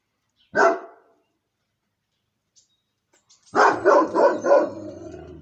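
A Moscow Watchdog gives one deep bark, then a quick burst of four loud barks.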